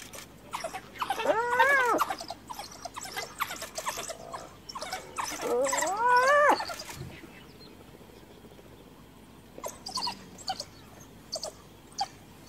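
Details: Hyena mother, whose cub had recently died, cornered by wild dogs and calling for backup from her clan; two rising-then-falling harmonic wails, each about a second long, over a clatter of short clicks and chatter, then quieter scattered sounds.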